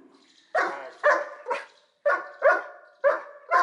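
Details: Tyson, a Dobermann Pinscher once shy and insecure, guarding his owner: a run of seven loud, harsh barks in pairs and singles, each sharp onset fading quickly, separated by short pauses.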